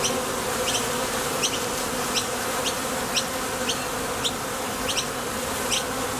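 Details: Honey bees at the entrance of a Top Bar Hive, leaving and landing as they forage for nectar: a dense, steady, low buzz of many wings with a faint bright tick recurring roughly every 0.7 seconds.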